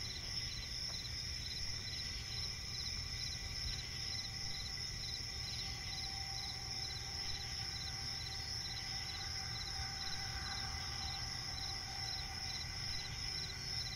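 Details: Crickets calling in a swampy forest at night: faint, regular high chirps beneath a continuous ringing insect chorus, with several steady lower tones and a low rumble throughout.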